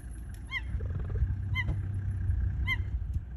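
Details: Kisaru, a female cheetah in the Masai Mara, gives three high, bird-like chirping calls about a second apart over a low engine rumble. She is calling her two cubs to come for food; cheetahs meow-chirp rather than roar.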